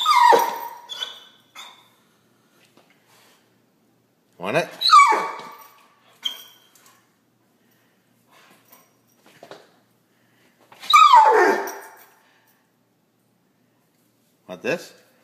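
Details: Pit Bull indoors in a small room, barking and whining because it wants a treat; a few loud, harsh barks with sliding whimper tones, spaced several seconds apart amid quiet gaps.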